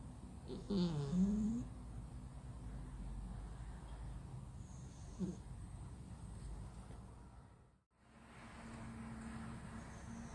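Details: Sleeping male flat-nosed cat snoring loudly, deeply asleep; a rough, rasping low snore swells near the first second, then softer breathing rumbles continue over a steady low indoor hum with a brief dropout later.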